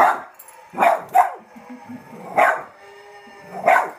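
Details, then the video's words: Domestic dog barking at little zombie figures: four sharp barks, two close together then two spaced farther apart, over a steady low background hum. "My dog hates little people."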